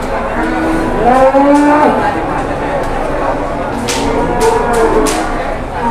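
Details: Jumbo cattle taken around for sale: a drawn-out, wavering low moo with rich harmonics about one to two seconds in, further softer moos later, over steady crowd noise and clicks.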